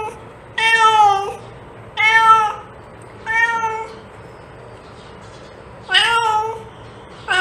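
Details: Cat sound for attracting cats: four long, clear meows from a domestic cat, each level then dipping at the end, spaced one to two seconds apart with a gap before the last, over low steady hum.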